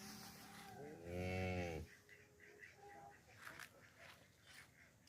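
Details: Distant, quieter cow moo of about a second on a village farm, heard over steady background hiss and some faint, higher scattered sounds.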